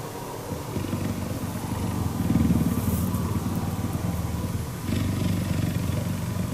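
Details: Cheetah purring while cuddling: a low, rumbling, pulsing drone that swells louder midway, then eases and returns, with faint higher hiss above.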